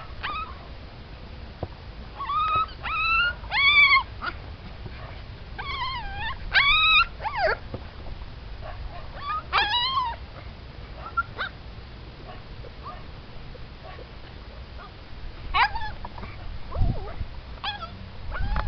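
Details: Siberian Husky puppies from a mixed litter give scattered bursts of short high yelps and whines, clustered in groups of two or three, with quieter stretches and low background rumble between them.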